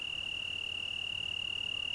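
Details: Italian tree cricket singing on a June evening in the Algarve, Portugal: a steady, unbroken high trill held on one pitch, with no pause or change throughout.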